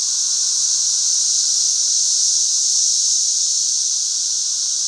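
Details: Dense chorus from a back-yard swarm of thousands of 13-year periodical cicadas in flight: a constant shrill, hiss-like drone holding steady throughout, with a weaker lower buzzing layer underneath.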